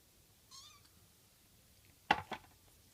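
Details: An orange Japanese tabby kitten meows for food at mealtime, eager because it knows lunch is coming: a thin high mew followed by two louder, rougher cries.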